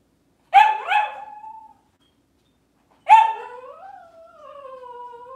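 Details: In a kitchen on a cloudy Monday morning, a Cavalier King Charles Spaniel gives a quick double bark, pauses, then barks again and slides into a long, rising-then-falling howling whine.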